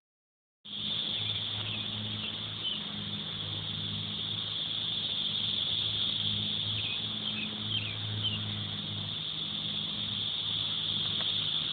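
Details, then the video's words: Loud cicadas, recorded on an Android phone: a continuous, steady high-pitched electric drone that holds without a break, with faint chirps over it and a low vehicle rumble underneath. "The cicadas.......the noise they make is very loud"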